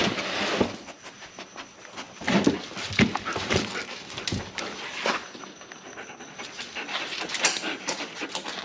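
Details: Playing German Shepherd panting hard: a run of noisy, airy exhalations with sharp scuffs and clicks in between, and brief soft whines near the middle.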